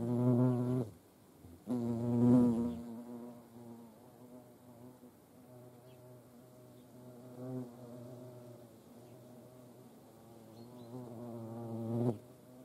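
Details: Hornets visiting a feeding place shared with ants at Dohr in the Eifel; loud bursts of low droning buzz at the start and end, with a quieter hum between as insects fly in and out.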